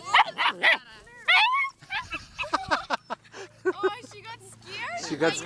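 A German Shepherd puppy gives sharp, high-pitched yipping barks in quick bursts, with people talking nearby.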